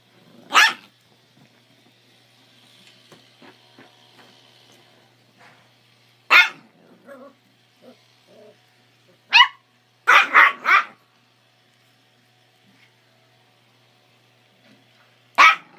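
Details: Two Chihuahuas, a 3-month-old puppy and a 13-year-old adult, fighting over a bone: short sharp barks in isolated bursts, a quick cluster of three near the middle, with faint growls and quiet gaps between.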